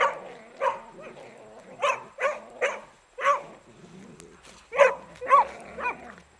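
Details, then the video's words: A beagle at play with a shirt lets out a run of yelping barks roughly every half second, with a growly undertone and a brief pause midway before the barking resumes. "Beagle zabawa - moja koszulka"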